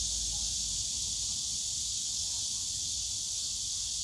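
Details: Cicadas singing together in the bamboo grove of Yongsan Family Park on a summer day, a continuous bright sizzling drone held at one level, with a faint murmur of distant voices underneath.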